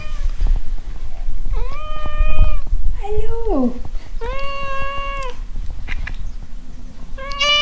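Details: Frida, a domestic cat, utters four drawn-out tonal meows. One slides downward in pitch, the others hold steady and end abruptly. A low rumbling background runs underneath, with a faint human voice.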